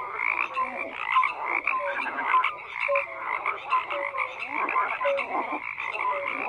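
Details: Dense croaking from a crowd of frogs, rattling pulsed calls running continuously while a few short tonal croaks repeat at irregular intervals above the din.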